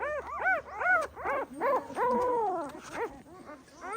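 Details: High arched yelps come irregularly from a Pahadi dog mother guarding her puppies, broken by one long, drawn-out falling whine midway, then a few more short yelps.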